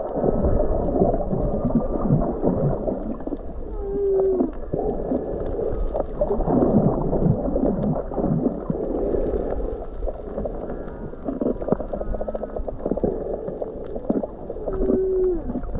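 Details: Underwater whale song recorded while snorkeling off Mauna Kea on Hawaii's Big Island in January: moaning tones and short upswept whoops over a rumbling, gurgling sea.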